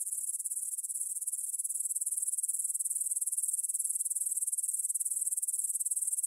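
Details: Evening meadow chorus of grasshoppers beside the Svensky monastery field in Bryansk, Russia, 9 pm, 6 September 2020, on a Tascam DR-44WL: a continuous high-pitched shimmering trill made of fast, even pulses, holding a constant level throughout.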